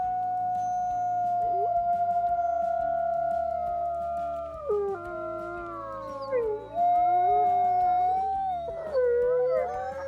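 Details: Several wolves howling in the wild, calling to keep contact with the pack and mark territory. One long level howl is joined by others sliding downward and rising, with the voices overlapping in a wavering chorus over a soft low hum.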